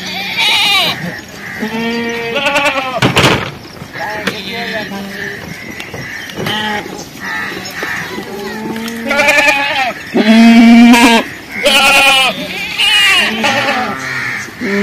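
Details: Goat kids bleating while searching for their mother: loud, wavering, harmonic bleats, some long and quavering, others short, coming every second or two with several overlapping voices, plus a sharp click and faint rural background noise.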